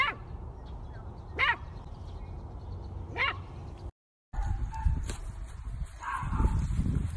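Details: Miniature dachshund at play, giving three sharp, high yips spaced about one and a half seconds apart, followed by rustling and handling noises with a low background rumble.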